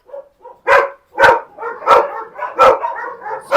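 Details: Husky named Max barking in short, sharp bursts, about five loud barks spaced roughly every half second, with softer whining notes between them.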